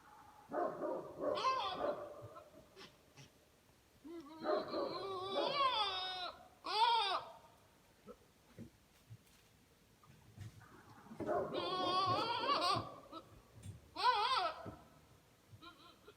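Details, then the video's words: Buck goat that calls during the day and at night while in rut; two long groups of warbling, quavering harmonic cries with squealing rises, each lasting about three seconds, separated by near-silence. "Buck Makes Scary Noises!"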